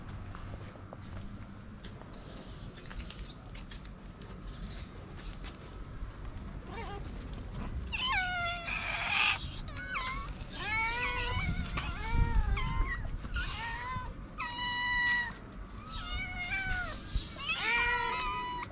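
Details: A stray tortoiseshell cat among several ginger street cats gives a run of insistent, rising-and-falling meows, asking to be fed.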